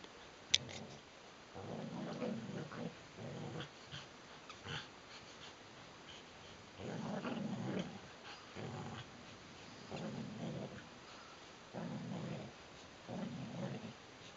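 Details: Two adult Border Collies, Neo and Joy, growling during a tug-of-war game indoors; low, rumbling growls come in bursts of about half a second to a second, separated by short quiet gaps, with occasional scuffling noises.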